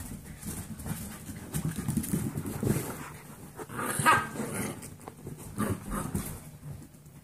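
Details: Seven-week-old Golden Retriever mix foster puppies playing out of their playpen: scuffling and shuffling noises with short yelps and a brief high whimper near the middle, over a low steady hum.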